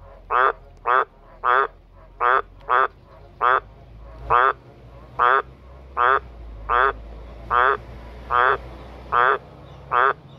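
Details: An Australian green tree frog in a backyard gives deep, pulsed croaks about once a second, calling and replying to another green tree frog, pushed to call harder by a passing bus.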